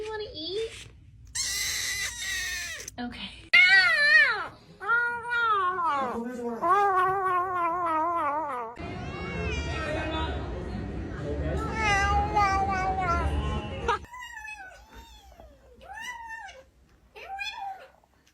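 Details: House cat making noises as it eats: a run of arched, whining mews rising and falling in pitch, clustered closely, with a stretch of rough broadband noise before softer, spaced meows trail off.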